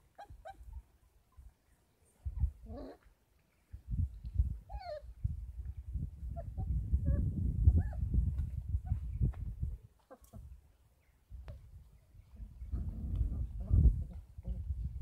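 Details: Kangal puppies, 33 days old, at a Kangal dog farm, fed goat milk and formula as a supplement. Thin rising and falling whines come in scattered bursts over steady low rumbling and rustling.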